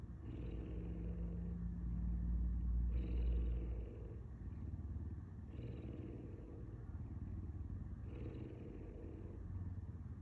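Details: Puma named Simba giving a deep, rumbling purr in steady cycles, each rough drone lasting about two to three seconds with a brief change in tone between breaths, repeating four times. No other clear sounds.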